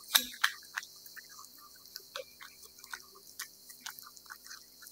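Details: Wet food eaten by a cat, opening with two loud sharp bites, then a quicker patter of soft moist clicks and smacks, roughly three to four each second, in a quiet room.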